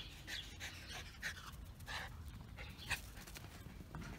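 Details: German Spitz dog named Coco panting while playing fetch on a Sunday morning; quick breathy bursts with short squeaky tones, irregular over a low background rumble.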